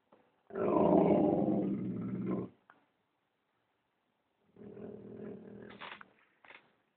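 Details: Black Labrador retriever growling at someone walking past the house indoors; a long, rough, rumbling growl of about two seconds, a pause, then a second lower, softer growl ending in a short snort.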